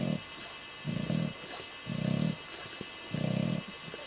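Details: Sleeping English Bulldog Ozzy snores with flapping lips; four low, rough snore bursts spaced about a second apart, with faint clicks between.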